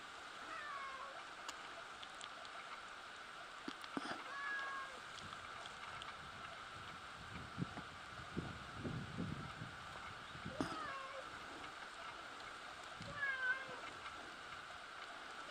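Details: A cat mewing faintly, caught by chance while someone was trying to record a dusky thrush. Thin, wavering mews come near the start, around four seconds, ten seconds and thirteen seconds, over a steady background hiss.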